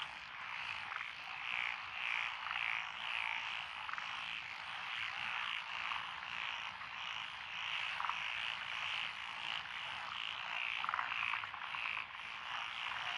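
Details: Frogs of several species calling from lotus paddies in Echizen City, Fukui, Japan, June 2021: steady chorus with repeated bright croaks, a few sharp rattling pulses standing out around the middle and end.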